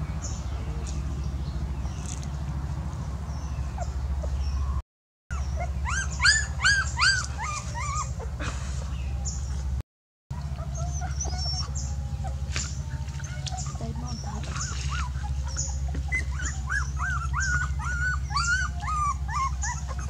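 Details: A dog whimpers in two bursts of rapid, high arching whines, the second run longer and softer, separated by quieter stretches with a steady low hum throughout.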